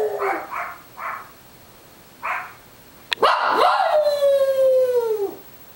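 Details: On Long Island, small boarded dog Munchkin gives a few short yips, then one sharp onset into a long howl that holds steady and fades downward over two seconds.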